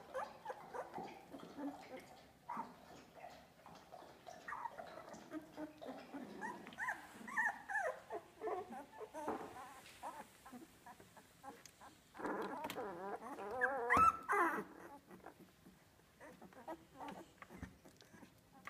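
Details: Olive's two-week-old Australian Labradoodle puppies at Pine State Australian Labradoodles give a steady stream of thin, wavering whines and squeaks, several pups overlapping, peaking in a loud squealing cluster around thirteen to fourteen seconds.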